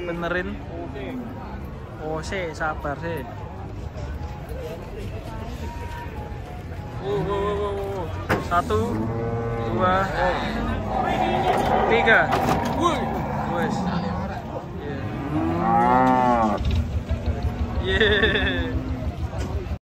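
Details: Restless cattle being unloaded from a truck moo repeatedly in deep, wavering calls over a busy mix of human shouting, talk and handling noise, with a horn-like tone near the middle.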